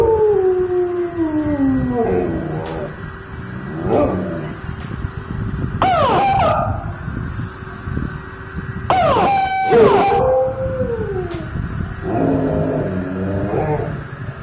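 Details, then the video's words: A male pet dog howls in reaction to a car siren: long, drawn-out, sliding wails that fall in pitch, then quieter whimpering yips, with sharp sweeping siren-like tones cutting in and a steady low hum throughout. "Dog reaction on car siren"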